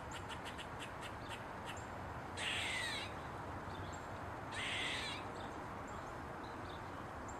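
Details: Eastern gray squirrel on a mushroom: a quick run of short barks opens, followed by two loud, harsh, drawn-out squeaking calls about two seconds apart, set against constant rushing background noise.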